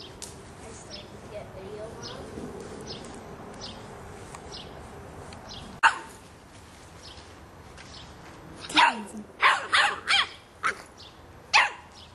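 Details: A 3½-month-old Boston Terrier puppy barks at a soccer ball: after several seconds of low background noise, a quick run of five or six sharp, high barks closes the clip, with a person's voice in the background.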